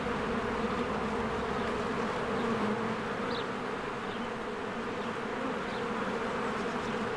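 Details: At a springtime hive, a crowd of working honeybees creates an unbroken buzzing hum, low and even. Faint high, brief chirps, possibly birds, rise above the drone several times.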